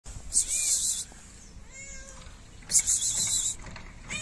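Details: Stray cat in a Moroccan city, shy and wary of people, meowing for food: two faint, short rising-falling meows between bursts of loud hissy rustling noise.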